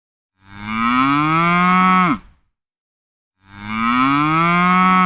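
A cow lows deeply, a drawn-out moo rich in harmonics that rises slightly, holds for over a second and falls off at the end. After a short silence a second moo begins.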